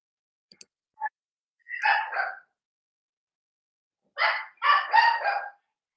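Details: Cavalier King Charles Spaniel puppies playing in an indoor home puppy pen: a soft click, a short yip, then two bursts of rapid, high, yappy barks separated by a pause of nearly two seconds.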